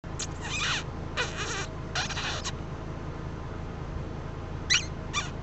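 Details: Raspy, squeaky bursts under a second each over a low steady rumble, recorded from a vehicle on a summer night in Arizona; the squeaks are a human imitation made to lure the kit fox closer.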